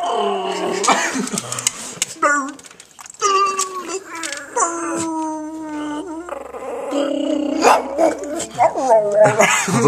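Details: Dog vocalizing like Chewbacca: drawn-out, wavering moans and howl-like grumbles in several bursts, some sliding up and down, with a person speaking in between.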